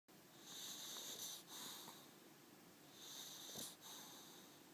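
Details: Augustine, a Boxer dog, snoring indoors in a small room: two wheezy, hissing breaths, each broken by a short snort, in a brief stretch of quiet breathing.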